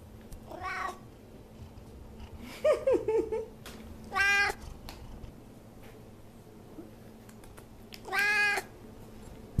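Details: Savannah cat, an F6 generation pet indoors, giving three drawn-out harmonic meows near 0.5, 4 and 8 seconds, plus a shorter wavering mew in between; quiet room with faint clicks.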